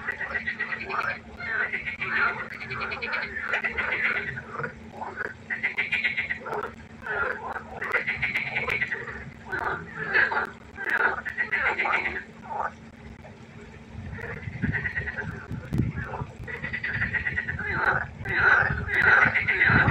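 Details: Pond frogs in a loud nocturnal concert: rapid, rattling croaks in pulsing series, several callers overlapping, a brief lull mid-way, then a louder resurgence with some low thumping.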